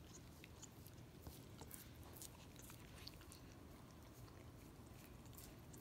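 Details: Miniature Australian Shepherd lapping peanut butter from a foot: rapid, moist tongue clicks and smacks, uneven in timing, with a constant faint low-pitched hum beneath.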